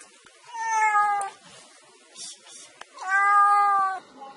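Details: Kitten meows twice, each a steady, drawn-out, even-pitched mew lasting under a second, the second slightly longer, separated by a quiet pause with small clicks.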